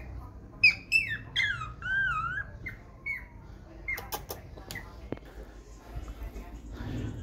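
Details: A small Belgian Malinois puppy gives a quick run of shrill, wavering screams, then some knocks and clatter.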